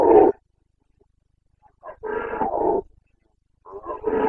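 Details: Bellowing Carpathian red deer stag in rut, Bucovina forests, Romania, 29 September 2022; deep harsh roars in three bursts, the middle one long and pulsing with throaty grunts, separated by short silences.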